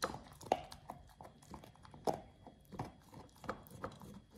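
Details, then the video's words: Pit Bull named Oliang gnaws a raw ostrich paw, his first: sharp bite clicks about every half second to a second, with softer mouthing sounds between them. "Oliang the Pit Bull 1st time eats Raw Ostrich PAW [ASMR] BARF | MUKBANG 動物の咀嚼音 | 犬が生の肉を食べる"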